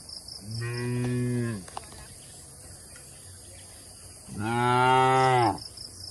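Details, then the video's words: Two drawn-out, rich harmonic moos about four seconds apart from tame cattle being led to a wide pasture in the countryside, each tapering downward at the end, with a faint pulsing insect chirp in the background. "Suara Lucu Sapi"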